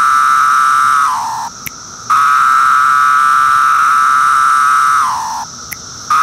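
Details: Brood II periodical cicada, Magicicada septendecim, recorded in 2013 calling from bark: sustained loud buzzing drone, twice sliding down in pitch and breaking off into short silences before restarting, roughly every four seconds.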